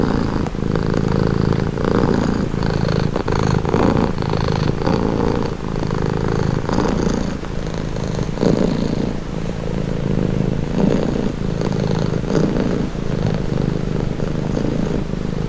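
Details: Domestic cat purring steadily, a deep continuous rumble that swells and eases in slow breath cycles roughly every two seconds, with faint rustling above.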